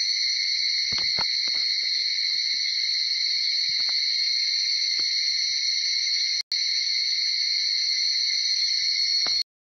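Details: Higurashi (Tanna japonensis) dawn cicada chorus in Uda city, Nara, Japan, just after 4:30 a.m.: sustained high-pitched massed trilling, interrupted by a few soft knocks early on and a brief dropout near the end.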